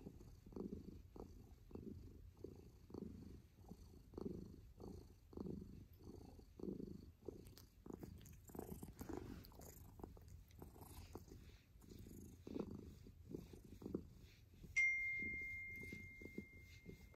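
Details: Domestic kitten purring steadily, rapid rhythmic rumbling pulses roughly twice a second, slightly uneven at times, with a brief high electronic-sounding tone appearing near the end.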